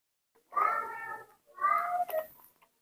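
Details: A pet baby monkey cries for milk indoors, giving two drawn-out, wavering mid-pitched wails, each lasting about a second, separated by a short pause.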